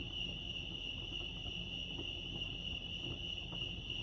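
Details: Chirping crickets at Lake Arrowhead in California form an unbroken high-pitched trill, even in loudness, over soft low-frequency background hum.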